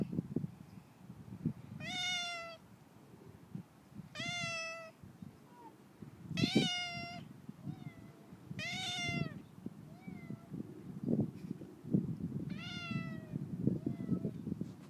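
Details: Neighbour's tame cat with a raccoon-like tail, fed in its owners' absence, meowing repeatedly: five or six strong, tonal meows every two to three seconds, a few softer chirps between, with scraping and tapping underneath.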